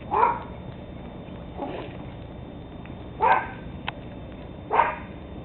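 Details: Four spaced, sharp puppy barks about one and a half seconds apart from Teddy Roosevelt Terrier pups aged 13 weeks, recorded 17 October 2007, the second bark softer than the rest.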